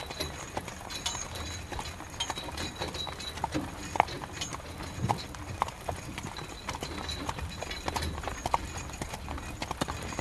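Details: Carriage horse in the rain, its hooves striking the road in uneven clip-clops amid constant rain patter and a low background rumble.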